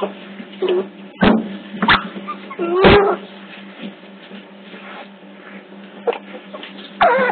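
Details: Young otters at Hertfordshire Zoo on hidden CCTV give low wavering whines and short squeals, with sharp knocks and thuds of movement in between and a constant background hum.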